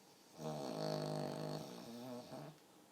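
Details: A pug asleep and snoring, its snore strikingly human-like: one drawn-out, vibrating, rattling breath lasting about two seconds, wavering in pitch toward the end, in quiet indoor surroundings.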